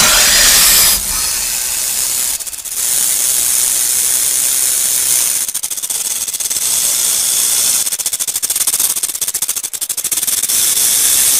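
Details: Steady high, dry whirring buzz of a rattlesnake's rattle, continuous for over eleven seconds, with a few brief dips where the fast ticking pulses of the shaking tail come through.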